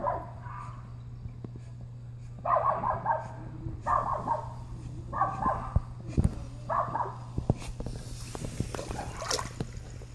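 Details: A Welsh Corgi swimming for the first time gives short, harsh barks in a repeated series, with splashing water and a low hum.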